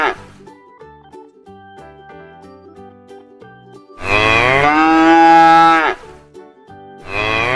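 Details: Cow. Gentle background music plays before a cow lets out a full, sustained moo lasting about two seconds. A second moo begins just as the clip ends.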